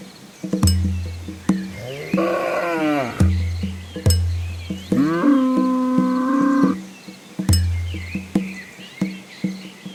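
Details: Cows from a village walking home before the rain arrives, giving two low moos, one wavering and one held flat, with rhythmic music throughout.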